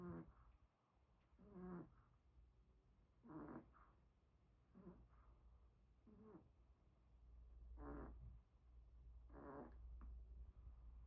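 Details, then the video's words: Pomeranian snoring in its sleep, rasping snorts repeating roughly every one and a half seconds, uneven in strength, over a steady low hum in the background. "코골고 자는 개"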